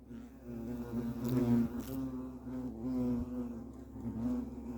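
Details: European hornets (Vespa crabro) at their nest give a low, droning buzz of several overlapping wingbeats, wavering slightly in pitch and swelling louder around the middle, with a steady hum beneath.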